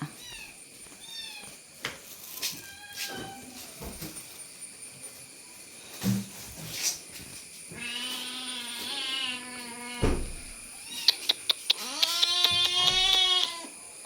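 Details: Domestic cat meowing repeatedly on a rainy day while being told not to cry: two long, drawn-out meows in the second half, one steady and one slightly rising, among household clatter, sharp clicks and a few shorter calls.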